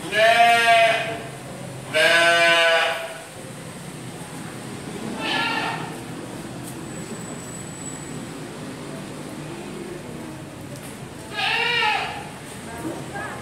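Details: Mountain goat kept as livestock at a Gading Serpong park garden in Indonesia, two loud vibrating bleats in quick succession, then a softer one, a long pause, and a final bleat, with background hum.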